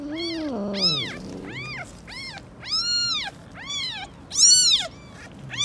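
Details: Street-living stray cats, an angry mother cat guarding her kittens: a low falling meow opens, then a run of high, arched, harmonic-rich meows repeated about once a second, some louder and shriller near the end.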